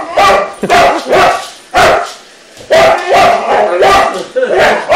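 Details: Boxer dog challenging a robot, giving repeated loud harsh barks, some doubled, roughly every half second to second, with a brief lull in the middle; no other clear sounds.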